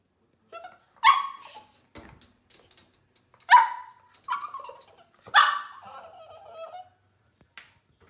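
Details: West Highland White Terrier puppies barking after seeing a bird: three sharp yappy barks about two seconds apart, each with a short whining tail, plus a few faint yips between.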